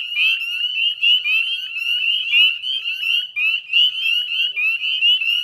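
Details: Northern spring peepers in chorus at dusk, 18 May 2020, 9:08 p.m., beside the Chezzetcook salt marsh wetlands in West Chezzetcook, Nova Scotia, Canada: dense overlapping high, rising peeps, many callers at once, steady and continuous.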